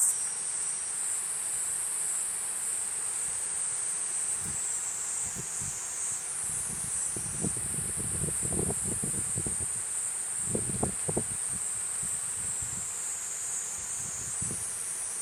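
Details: Platypleura kuroiwae cicada singing a continuous high, hissing drone with small pitch shifts. Low rustling thumps and handling noise come and go underneath.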